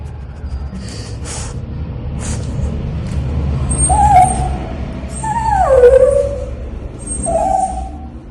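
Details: Pet dog during a bath whines several times, one whine sliding down in pitch, the others short and level, over low rumbling background noise with a few clicks early on.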